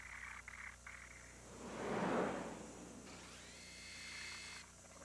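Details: No animal sound is heard, only a steady whirring hum with a swelling noisy rush in the middle and faint tonal whines.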